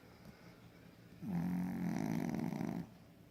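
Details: Pekingese asleep, giving one vibrating snore that starts with a short rising slide and holds a coarse low buzz for about one and a half seconds before silence.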